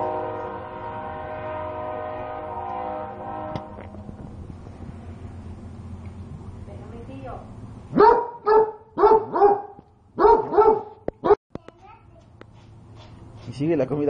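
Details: Dog angry that its food is still hot barks at the dish: after several seconds of low hum and murmuring voices, a quick run of sharp barks, then a person speaking at the end.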